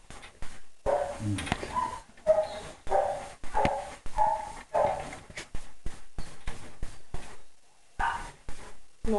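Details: German Shepherd at the Péruwelz shelter, found on 30 July 2011, giving a run of deep, rough barks in quick bursts, several per second at times, with short pauses between volleys and some human speech nearby.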